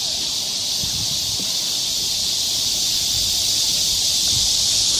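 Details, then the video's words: Summer insect chorus of cicadas in Galsan Park's woods, Mokdong, Seoul: a loud, continuous high hissing whine that swells slightly toward the end, over faint low knocks and rustles. "매미울음소리. 한여름의 청량제와 같은 천사들의 찬가. 갈산공원 매미들 숲속의 합창"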